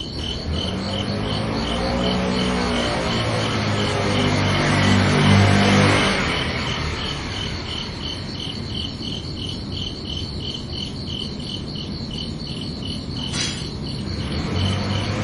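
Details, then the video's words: Night-time cricket chirping, fast even high pulses running throughout, partly masked in the first seconds by a passing vehicle's low droning hum, with a sharp brief knock near the end. "Calming Cricket Sounds for Relaxation"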